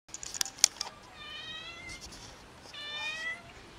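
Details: Cat family living in a neighborhood and fed daily by locals, said not to have enough food; two drawn-out, harmonic meows, the second longer and slightly rising, after a few sharp clicks or taps at the start.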